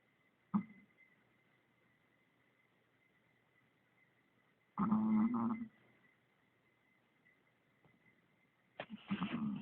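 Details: While sleeping, Finn the Chihuahua makes a short sharp snort, then a louder drawn-out rattling snore lasting nearly a second, and a further harsh snoring breath at the close, with quiet hum in between.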